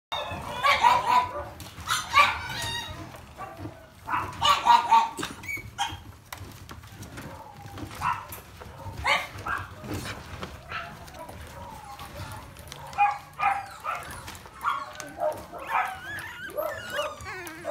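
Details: Beagle puppy siblings play-fighting, growling and yapping in bursts of high, harmonic barks and whines, loud clusters near the start and around four seconds, then smaller repeated yelps and squeals throughout.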